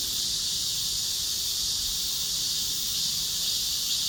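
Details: Many cicadas singing together, producing an even, piercing drone that never lets up across the whole stretch.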